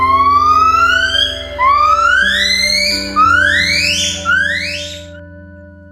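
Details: A siamang family song, usually begun by a loud female call and answered by other family members, used for communication, mating-season calling and warning of danger, gives pure, sweeping whoops, each climbing higher than the last.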